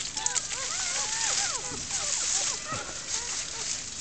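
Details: Newborn German Shepherd pups with their first-time mother Sally, in a natural den hidden by foliage and a mattress frame. Dense, overlapping chorus of high, bending squeals and whines from many puppies, over a steady hiss.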